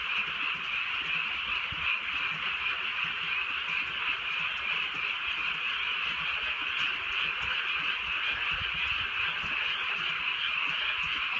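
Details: Frog croaking on a rainy night in the countryside, a thick chorus of countless overlapping calls droning evenly, with a soft hiss of drizzle and an isolated sharp drip.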